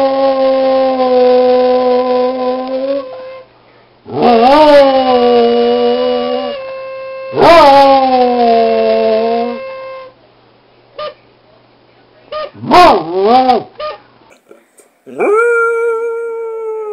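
Basset Hounds howl in long, mournful, wavering notes, each sliding up and then sinking down.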